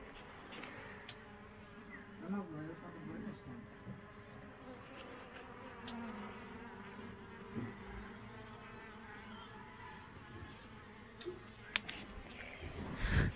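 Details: Honey bees humming at their own box hive during a honey harvest, a steady low droning buzz running through the whole stretch with a few sharp knocks and handling noises.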